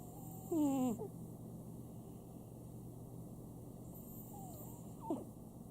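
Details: Sam, a pet Chihuahua at home, snoring: two brief whistling, nasal breaths with falling harmonic tones, one near the start and one about four seconds later, over a steady low indoor hum.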